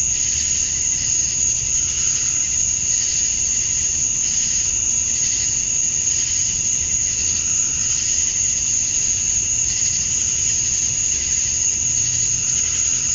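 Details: Cicadas at dusk on a Georgia summer night, the males chirping to attract females; a dense, even, high buzz fills the air, with gentle rhythmic throbbing in the upper layer and a quieter steady tone below.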